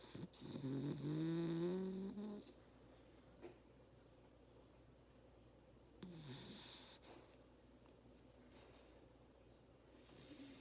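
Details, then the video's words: Labrador Retriever puppy snoring while napping after a hard day of play indoors: one loud, rasping snore for about two seconds with a buzzy, layered tone. Then quieter breathing with a few soft snorts. "Labrador Retriever puppy snoring !"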